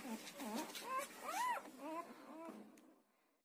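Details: Newborn Siberian Husky puppy, between one and ten days old, giving a short series of thin, rising-and-falling squeaky whimpers that fade toward the end, quiet room.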